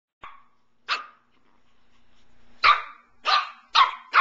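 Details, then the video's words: Two Shih Tzu puppies playing, one a 17-week-old red and white female; sharp high yappy barks, two single yaps then a rapid run of four barks in the last two seconds, quiet room between. "Shih-tzu's playing"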